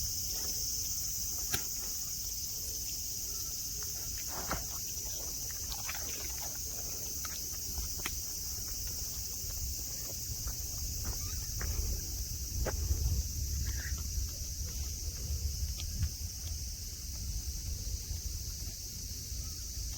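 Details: Cicada chorus at Nara Park in Japan, with green grass, mountains and tame deer around: continuous shrill buzzing hangs high above low rumbling handling noise, footsteps and brief taps.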